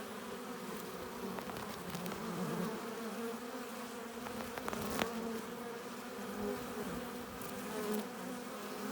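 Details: Honey bees at a hive entrance, arriving with pollen and nectar: a dense, steady buzzing drone with a low hum and stacked overtones, swelling slightly as individual bees pass close, plus brief clicks and crackles.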